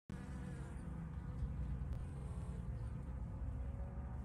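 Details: Honey bee on rapeseed flowers in spring, a steady low droning hum with layered harmonic tones held throughout, light rustling in the background.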